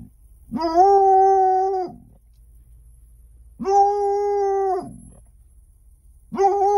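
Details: Bloodhound puppy seeing cows for the first time gives long, steady, mournful howls, each held over a second and repeated every few seconds.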